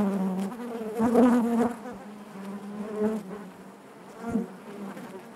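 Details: Inside a honey bee hive, a continuous low drone of many wings with rich harmonics; a loud close buzz swells around one second and others pass near three and four seconds.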